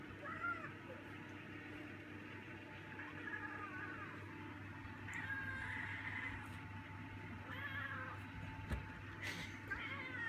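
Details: Indoor male cat calling out from hunger as dinner nears: a series of about six insistent meows spaced one to two seconds apart, some rising and some wavering, over steady low background hum.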